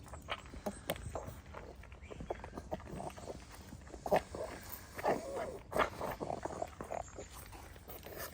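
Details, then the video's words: A pug noisily eating kibble outside at lunchtime on a frosty, freezing day in London. Steady crunching and chomping, with soft rustles and light background movement. "Pangpang the Pug making cute funny dog sounds when eating"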